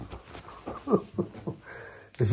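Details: Husky puppy Balto, pestering the other dog Bombón and nipping its owner when scolded, lets out a quick run of short, harmonic grumbling yelps, about five within a second, before a person speaks up loudly.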